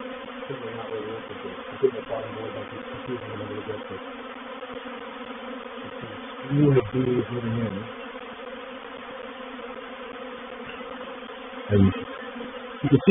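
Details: Droning honey bee swarm entering a swarm trap at Painted Peacock Manor on 04/07/21; the constant many-voiced hum is broken by a few short, louder low rumbling bursts.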